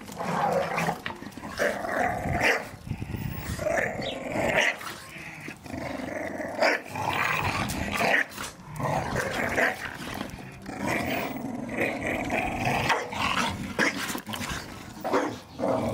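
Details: Garden play among Staffordshire Bull Terriers wrestling over a Christmas gift ball; long stretches of deep rumbling growls, snorts and huffs, punctuated now and then by brief sharp yelps.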